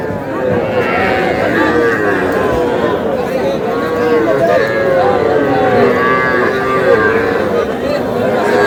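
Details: Small bull and heifer calves bought by a farmer at a Comilla cattle market in Bangladesh, 21 July. Overlapping nasal, wavering moos run almost continuously beneath loud haggling voices and general market crowd noise.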